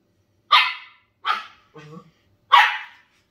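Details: Pet Shetland Sheepdogs, a tri-colour and a grey, having fun at play. Three sharp, bright barks spaced under a second apart, with a brief low grumbling whine between the second and third.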